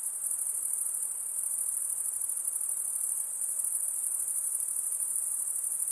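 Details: Unbroken, piercing high trill from insects, even in loudness and pitch throughout, with a faint hiss below and nothing else heard.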